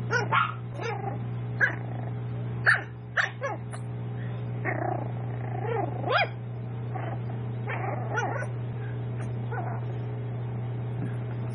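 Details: Raven's seven-week-old toy poodle puppies at a home breeder; scattered, irregular squeaky yips and short barks, some overlapping as if several pups call, louder near the start and fading later, with a steady low hum beneath.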